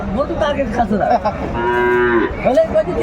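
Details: Sahiwal bull calf at a market, bought by a farmer from Faridpur, Bangladesh, on 24 December 2024; one steady, sustained moo lasting under a second mid-clip, with men talking in Bengali before and after.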